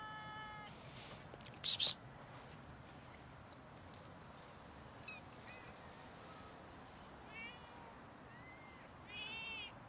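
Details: Several domestic cats meowing loudly while begging for food before being fed; high, short harmonic meows scattered through the clip, including a rising-falling meow near the end, with a couple of sharp clatters early on.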